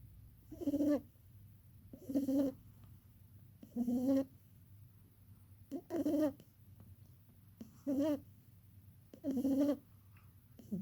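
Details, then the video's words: Barney, a pet rabbit, snoring while dreaming: soft, nasal, slightly tonal snores come in six even bursts, roughly one every one and a half to two seconds, with quiet pauses between, against a low steady background hum. "Barney Rabbit Dreaming and Snoring"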